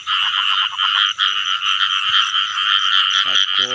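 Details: Frogs calling in the rain season, where people go out to catch frogs and baby frogs: a dense, continuous chorus of rapid, pulsed, buzzy croaks at steady loudness, with a short human voice near the end.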